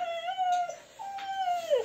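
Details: Female husky 'singing' during brushing at a Sofia, Bulgaria grooming salon: two sustained tonal howls with layered overtones, the first held about two-thirds of a second, the second longer and ending in a falling slur.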